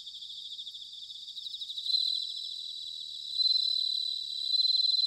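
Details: Autumn bell cricket song from Sanuki in Chiba Prefecture, Japan: high pulsed trills build in loudness, with ringing bursts rising twice above a constant background chorus of crickets.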